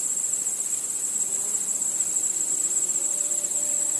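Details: Nighttime crickets chirping under a starry sky: a dense, very high-pitched shimmering trill that pulses continuously at steady loudness, with faint low humming tones drifting beneath it.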